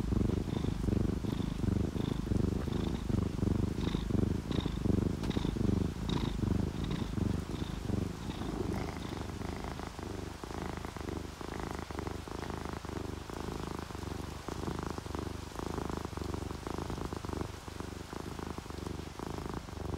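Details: Relaxed purring from a sleeping ginger tabby or calico cat, a deep continuous rumble rising and falling in breathy pulses, with faint high dripping sounds early on.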